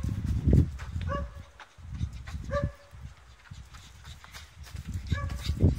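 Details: Blue French Bulldog playing, giving short, clipped, tonal yaps spaced a second or two apart, mixed with low thumping handling noise and a faint human voice.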